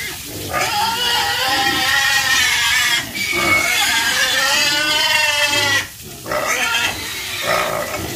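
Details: Pigs on a farm giving long, loud, harmonic squeals, each lasting a few seconds with short gaps between, high and strained in tone.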